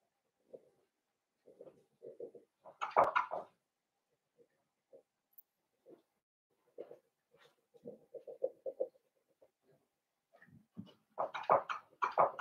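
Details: Young Blenheim Cavalier King Charles Spaniels, one litter of five puppies kept in an indoor pen, give low grunting murmurs in short runs, broken by a sharp squealing yelp early on and a cluster of loud cries near the close.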